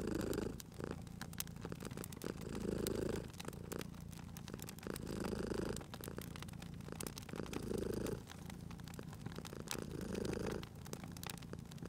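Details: Purring cat by a fireplace: low continuous rumble rising and falling with each breath roughly every two seconds, overlaid by frequent snapping crackles from the fire.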